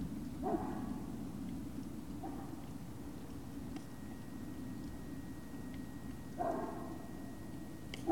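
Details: Evening of 19 February 2019 at Puppy Hill, Great Dane puppies: a yelp at the start, a fainter short yip around two seconds, a louder yelp past six seconds and another cut off at the end, steady low background rumble throughout.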